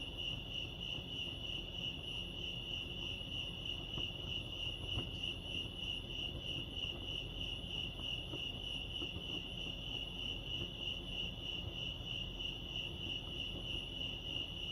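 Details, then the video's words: Lake Arrowhead crickets in California keep up an unbroken, high-pitched pulsing trill, rapid and even throughout, over a faint low outdoor hum. "Serenity sounds crickets chirping lake arrowhead"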